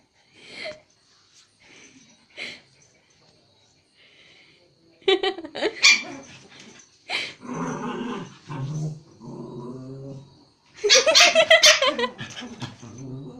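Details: Playtime between a toy Pomeranian and a Japanese Spitz in Kathmandu, Nepal: sparse early yips, then rough growling and bursts of harsh, rapid barking, loudest in a dense volley near the end.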